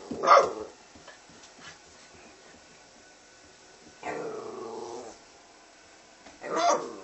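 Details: American red nose Pit Bull Terrier puppies: a sharp bark, then a longer growling yap, then another short bark, spaced a few seconds apart in a quiet setting.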